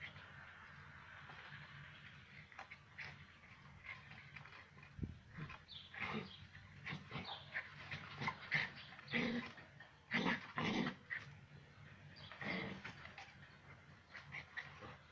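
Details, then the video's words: Rough Collie puppy attacking a broom indoors; short gruff growls and yips come in scattered bursts, louder and more frequent after the midpoint, with scraping and brushing noises between them over a steady low hum. "Dog VS Brush (broom)"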